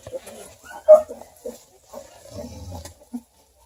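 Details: Two-week-old purebred Redbone Coonhound puppies under a heat lamp near Kingston, Ontario: sharp squeaks and brief whimpers, one loud squeal near the middle, then a low grunting rumble.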